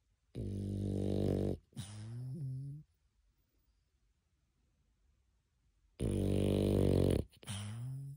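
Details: Dog dozing after its walk gives deep, rasping snores, each lasting roughly a second, falling into a long silent pause before two more rough breaths return near the end.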